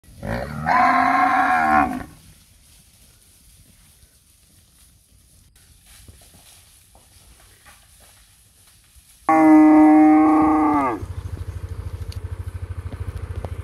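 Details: Cows nursing calves in a palm oil plantation, moos: two loud harmonic-rich bellows, one short near the start and another after a long quiet gap, followed by a steady low mechanical hum.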